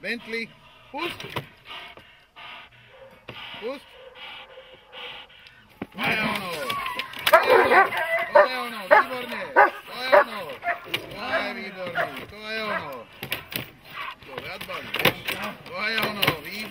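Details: Dog in protection training: after quieter opening seconds with a few yelps and voices, a burst of loud, repeated barks begins and continues steadily to the end, mixed with human speech.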